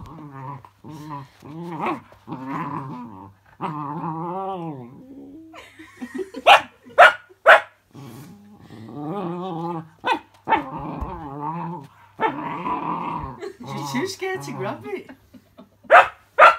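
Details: Cookie, a pet puppy, reacting to a fidget spinner toy: a run of wavering, harmonic growl-whines rising and falling about twice a second, then several sharp barks, more growling, and a final bark.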